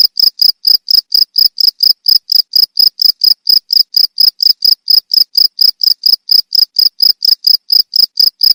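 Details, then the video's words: Cricket chirps recorded as training sound for songbirds: rapid, even train of sharp high pulses, about four to five per second, steady throughout with no other sounds. "Suara jangkrik untuk masteran burung"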